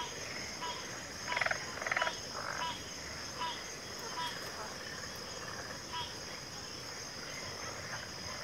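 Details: Frog chorus in backwater with pig frogs and water frogs: a few loud rattling croak bursts early on, then softer short croaks spaced irregularly, all over a continuous shrill insect drone.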